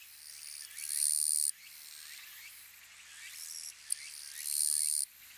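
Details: Western Japanese Gampsocleis buergeri katydid giving its 'chon gīsu' song: a strong, grating high buzz of about half a second, a fainter shorter burst, then another loud buzz, with soft chirping sounds underneath.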